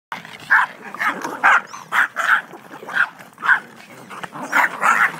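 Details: A pack of six Yorkshire Terriers (mother, father, three daughters and a son), recorded 21 January 2011 on a very old camera. Sharp, high, yappy barks come about twice a second in a steady volley, with background chatter.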